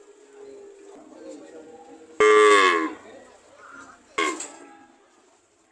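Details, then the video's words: ['Cow giving a short, strained moo, then a second briefer one, over a low murmuring background, with a sharp sound at the very end.'] "Sound of cow"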